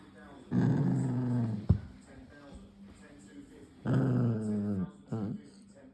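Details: Ollie, a poodle puppy, makes funny noises ranging from angry to cute: low, buzzy, throaty growling moans about a second each, wavering in pitch, two long ones separated by a pause with short grunts after each.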